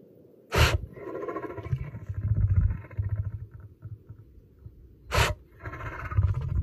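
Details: A lion's deep, rumbling roar, pulsing in low throaty waves, broken by two sharp bursts, possibly sneezes.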